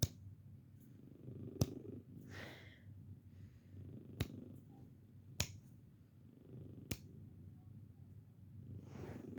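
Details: Bella, a 15-year-old senior female house cat who may be losing her hearing, purrs indoors during a home hearing test. Her low rumbling purr swells and fades with each breath, broken by sharp finger snaps near her ears that draw barely any reaction.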